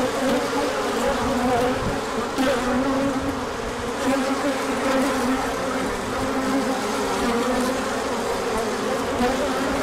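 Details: Many bees circling outside the hive on a large orientation flight as the sun returned after colder weather; an unbroken buzzing hum, thick and even, with faint pitch wobbles as bees fly near.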